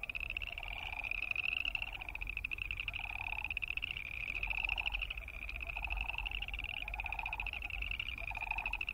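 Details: Many boreal chorus frogs croak together, their high pulsed trills overlapping continuously while shorter lower pulsed calls repeat roughly every second, over a low steady rumble.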